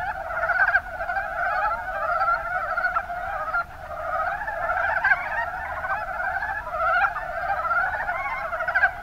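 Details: Chorus of Mountain brown frogs in Kumamoto's Kuma Basin, Japan, many animals calling together with quick rattling croak trains, sharp individual notes standing out every second or so over a steady murmur.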